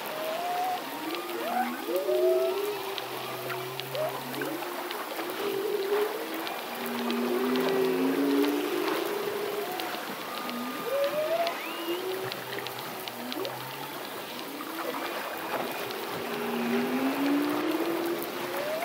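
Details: Solo male humpback whale singing through its breathing cycle: a steady stream of moaning, swooping tones, short upswept whistles and low drawn-out groans, overlapping and varying in pitch, with a faint underwater hiss throughout.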